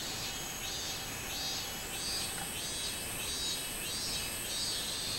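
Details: A robust cicada recorded 24 July 2016 gives a regular series of high, shrill, buzzing phrases, each swelling and fading, about one and a half per second, against constant hiss.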